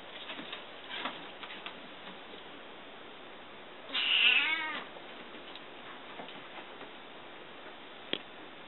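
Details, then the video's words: Pet cat welcoming a visitor, having learned the sound of her car: one drawn-out, wavering meow of about a second near the middle, with faint household clicks and rustles before and after. "お客さんを大歓迎する猫 Cat welcomes a visitor."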